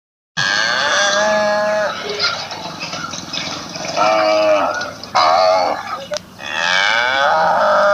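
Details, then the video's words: Cow from Assam mooing in a funny clip, several drawn-out harmonic moos with wavering pitch, some rising and falling, following one another closely; faint background sounds between calls. "Funny Cow Sounds || Cow's Sounds Effect"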